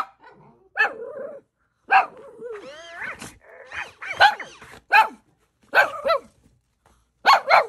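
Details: Yoshi, a pet Shih Tzu, shocked to see an electronic Fluff toy occupying his stroller beside a computer desk: short high barks about once a second, separated by a rising whine and brief quiet gaps.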